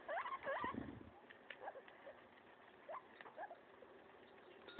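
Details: Maso the guinea pig, destroying a leaf, gives two or three short rising squeaks in the first second, then quieter scattered crunching bites.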